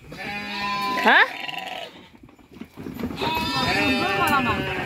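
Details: A lamb born at midnight bleats: one short call rises sharply, followed by quavering, wavering bleats after a pause, with background music.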